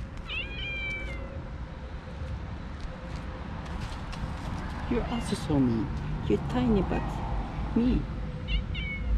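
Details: Cats on a street where every cat is described as mean and angry, attacking each other; a short bending meow at the start and a brief one near the end, with a man speaking in between and low urban rumble.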